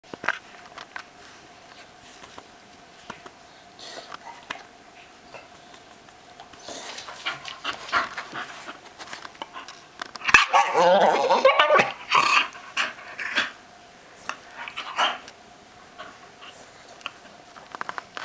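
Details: Staffordshire Bull Terrier in a small indoor room, making weird noises: steady quiet panting, then a loud, rough, breathy vocal burst of about two seconds midway, followed by shorter grunting bursts and a return to soft panting.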